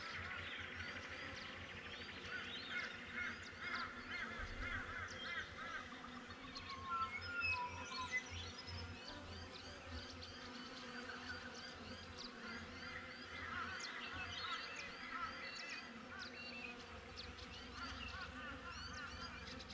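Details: Honey bees at a backyard hive, GoPro recording: a continuous hum of layered drones that rises and falls slightly, with frequent short high bird chirps and twitters mixed over the buzzing.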